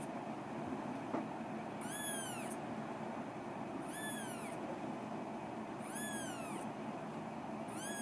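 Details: Young female Scottish Fold, eleven days old, at a breeder in Fujiidera, Osaka, 3 February 2017: four shrill, arching mews repeated roughly every two seconds, with a faint click early on and steady room hiss.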